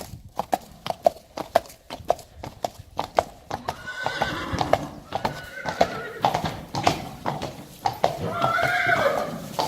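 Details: A Friesian colt, three years old, plays outdoors. Rapid clip-clop hoofbeats come first, then a drawn-out harmonic neigh in the middle and a second quavering whinny near the end.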